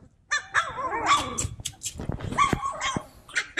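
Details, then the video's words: A litter of Cane Corso puppies at play, giving wavering high yips and short whimpers between scuffling growls and sharp little barks, several pups calling at once. "Bunch of Yipping Puppies!"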